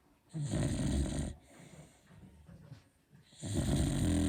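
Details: Beagle fast asleep, giving big snores: two long, rough, low-pitched rumbling breaths roughly three seconds apart, with softer exhaling between.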